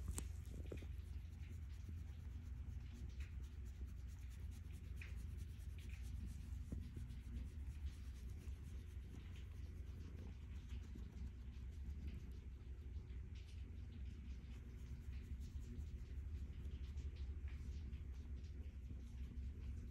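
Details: Stella, a calico cat, purring contentedly while being petted indoors; a steady, deep, low rumble runs throughout, overlaid with faint scratchy rubbing and stroking noises from the hand.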